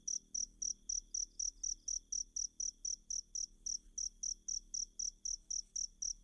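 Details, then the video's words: Cricket sound used as masteran material for teaching kacer birds: a steady run of sharp, high-pitched chirps, roughly four each second, regular throughout, with only a faint low hum beneath. "Ajari Kacer Mu Dengan Tonjolan Suara Jangkrik"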